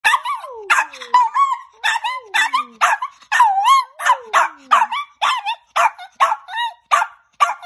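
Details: Rocco the Chihuahua lets out a rapid series of sharp, high yappy barks, several running into sliding whine-like glides that fall in pitch, the bursts coming roughly twice a second with short gaps between.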